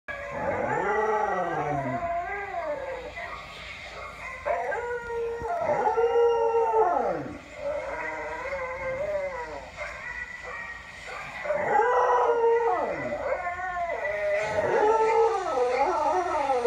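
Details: Pet dog Cody howling along to a playback of his own earlier recorded howling at another dog, long wavering howls rising then falling, several overlapping voices repeating every few seconds, with a brief human voice.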